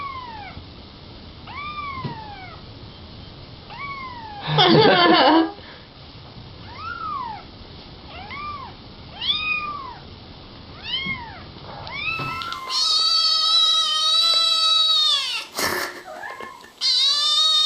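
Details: Baby kittens talking: a run of short, arched, high-pitched meows repeated about once a second, a brief scuffle, then longer, louder, rich-toned meows near the end.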